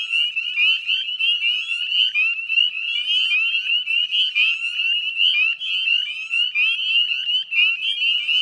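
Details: Northern spring peepers in full chorus at dusk on 18 May at the Chezzetcook salt marsh, West Chezzetcook, Nova Scotia, Canada; dense overlapping high, rising peeps blend into a continuous shrill ringing wall of sound.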